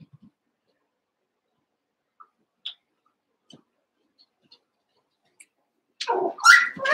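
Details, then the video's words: Cavalier King Charles Spaniel puppies, eight young littermates together in an indoor pen, wrestling and playing. Near silence with faint scattered ticks, then in the last second a loud, harmonic, rising yelp-like bark. "One Month Old Cavalier Puppies Wrestle and Play"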